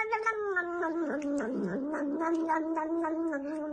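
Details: Cat giving a long, sustained caterwaul, a wavering drawn-out yowl that dips lower around the middle and then holds steady, with clear stacked harmonics throughout; a brief click-like knock sounds near the start.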